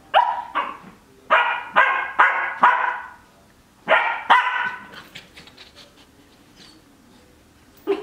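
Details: Cardigan Welsh Corgi puppy, twelve weeks old, romping in its dog bed and barking: a quick string of about six loud yappy barks, a pause, then two more and a last faint yip at the end.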